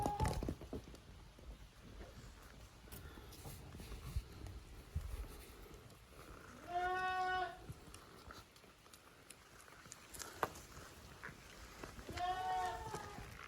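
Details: Young goats, offspring of Koharu and Okayu, play as two teams in the Yoshigake farm exercise yard, June 2023; two separate short bleats stand out from a quiet background with occasional clicks.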